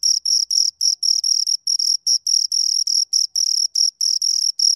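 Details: Two crickets chirping: high, shrill pulses in quick bursts, about four per second, with brief irregular gaps between, a bright tone doubled by a fainter higher band, nothing else heard.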